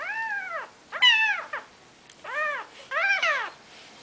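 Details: Maine Coon mother with her four-day-old litter: several loud, high, arched mews in quick succession, some overlapping as more than one kitten cries at once.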